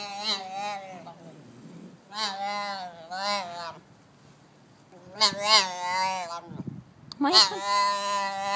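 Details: Young Arabian oryx calf chatting: a series of nasal, harmonically rich bleats, some drawn out and wavering, others short and clipped, with brief pauses and a soft rustle between calls.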